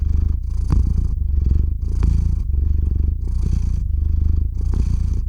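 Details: Sleepy domestic cat Theo purring right at a RODE NTG-3 microphone, ZOOM H6 recorder; rich low buzzing purr rising and falling in breath cycles roughly every second, with small clicks.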